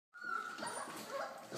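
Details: Belgian Malinois puppies, four weeks old, from a litter of ten (eight males, two females) born 8 November 2013; a thin, steady whine holds level for over a second, with faint rustling and background noise indoors.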